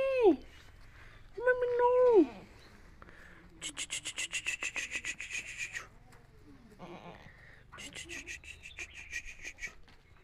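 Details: Himachali goat kids: two short, wavering bleats with a falling end in the first two seconds, followed by bursts of rapid, rasping, broadband pulses.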